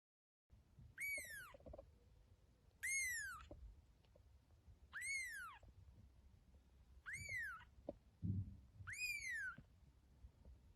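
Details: Domestic cat meowing in a playful home compilation: five high, clear, arching meows, each rising then falling with bright overtones, spaced about two seconds apart, over faint low room noise.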